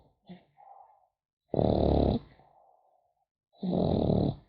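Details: Snoring French Bulldog puppy during sleep: soft snuffles and a faint wheeze lead into two long, rasping snores, loud and throaty with a breathy hiss, two seconds apart.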